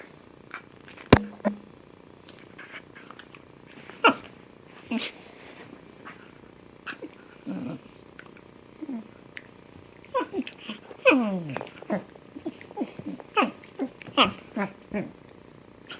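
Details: Domestic cat making funny noises while playing: scattered short chirps and trilled, downward-sliding mews, some with rippling harmonics, in bursts with quiet gaps, livelier near the end; faint room background.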